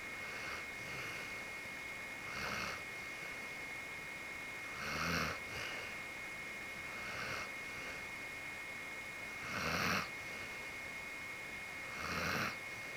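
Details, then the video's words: Sleeping soundly with a contented face, the white Akita Genki gives raspy, rumbling snores about every two to three seconds. Some are louder than others, over a constant thin high-pitched hum. "【秋田犬げんき】寝顔といびきだけの動画【akita dog】"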